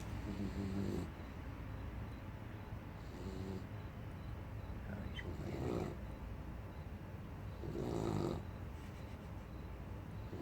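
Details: A 12-week-old puppy asleep, snoring loudly: soft, breathy rasping bursts recur roughly every two and a half seconds, four in all, over a low steady background hum.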